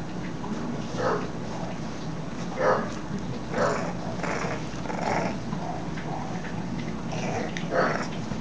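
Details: Bulldog playfully fighting a curtain indoors, giving repeated low, rough growls roughly every second over constant noise.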